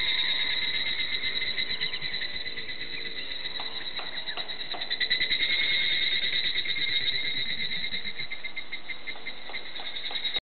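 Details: Higurashi cicadas singing in a Hakone forest, Japan: a clear-toned, steady high ringing trill with pulsing bands, continuous throughout and swelling slightly in the middle, with faint lower chirps and calls in the background.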